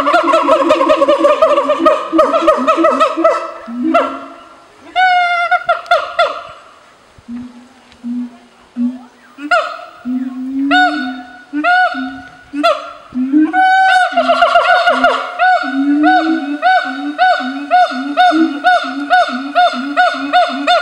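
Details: Zoo-kept siamang gibbon pair in Dubbo, Australia, singing to claim territory and strengthen their bond; dense overlapping whoops and deep booming calls, pauses, then bursts of shrill rising barks growing into a quick steady pulse over low booms.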